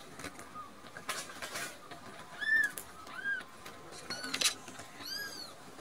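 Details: Full of milk and dozing off, two rescued kittens named Nan-chan and Cookie-chan let out several clear, high, curved mews, some sliding upward, alongside bursts of rustling and handling noise.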